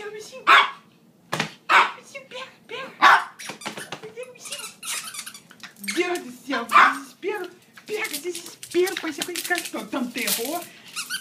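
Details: Maltese and Yorkshire terrier at play, full of energy when their owner gets home after an overnight shift: loud, clipped barks roughly every second early on, then busier yaps mixed with a person's excited talk indoors.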